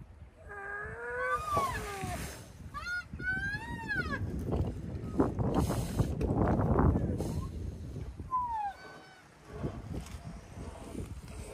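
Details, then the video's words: Rhinoceros calves in a moaning chorus: Bula, a sensitive young male, moans while lying down as Thaba stands over him seeking attention, and the other calves join in. Overlapping high, wavering whined moans rise and fall over low rumbling background noise. "A moaning chorus of rhino calves"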